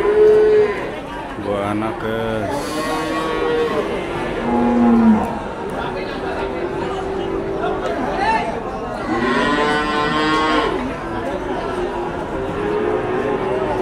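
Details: Cow with her calf at the Blora animal market in Indonesia: several drawn-out, harmonic moos, some rising then falling, come at irregular intervals over a steady background of crowd chatter and men's voices.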